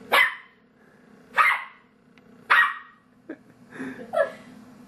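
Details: Monty, a pet dog, barks indoors at his own reflection in an entertainment center, taking it for another dog; three loud broadband barks about a second apart, then softer, lower yips and a growly bark, with steady background hum.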